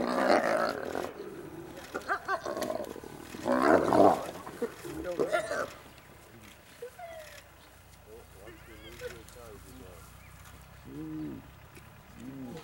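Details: Spotted hyenas at a kill in Vumbura, Okavango Delta, Botswana: loud, harsh, rasping growls and roars in bursts over the first six seconds, then softer wavering, quavering tonal calls at intervals against a quiet background.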